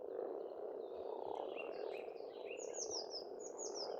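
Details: Many frogs calling together at a pond in springtime Estonia, a continuous low croaking hum, with clear high bird whistles in short falling phrases repeated over the second half.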